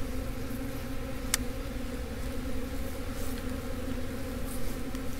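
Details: Honey bee swarm returning to its original hive after the queen was re-routed. A soft, steady hum of many bees with layered drone tones holds without a break; one brief sharp click near the start.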